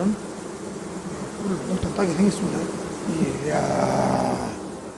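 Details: Honey bee hive giving off a steady low buzz, swelling slightly toward the end, as a beekeeper works the frames; short snatches of speech sit over the drone.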